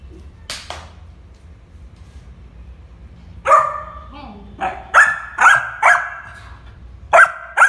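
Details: Shiro, a Labrador puppy, starts with a faint sound and silence, then barks about six times in quick succession, bright and sharp, roughly every half second.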